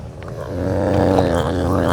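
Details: Gary, a serval and a vocal eater, fed from tongs; a low, rough, steady growl with layered harmonics swells slightly and holds for nearly two seconds in a small indoor space.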